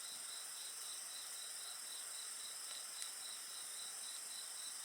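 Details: Insect chorus heard with a bonfire: high, evenly pulsed chirps about three or four per second over a steady shrill ringing drone, with a single faint crackle from the fire.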